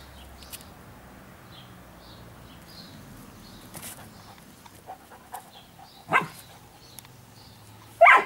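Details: Giant Schnauzer Blackmoore Orlando giving two short, sharp barks about two seconds apart near the end, after a long quiet stretch with faint high squeaks and scattered clicks in the background.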